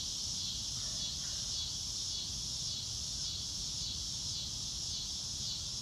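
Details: Outdoor crickets keep up an unbroken, shimmering high-pitched trill with a gently wavering pulse; a couple of faint bird notes and low ambient noise sit underneath.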